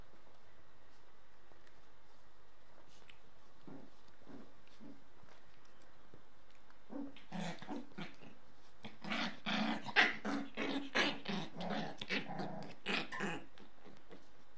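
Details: Shiba Inu puppy, 38 days old, kept indoors, playing with a small toy and dancing around with it. A quiet first half, then a dense run of soft, gruff growls and short yips in rapid uneven bursts.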